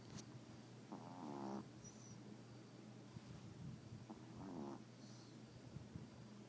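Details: Yorkshire Terrier asleep in bed, snoring: two short buzzy, harmonic snores about three seconds apart, each under a second long, over a faint steady low hum.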